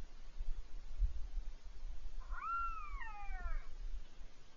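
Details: At night near a camp in the Kalahari, Botswana, in June/July 2013, where jackals were often close by, a jackal gives a single high, wailing call that rises briefly, then slides downward.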